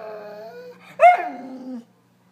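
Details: Dog crying for attention: a sustained tonal whine, then a sharp higher yelp-like cry that slides down into a drawn-out falling whimper, ending abruptly.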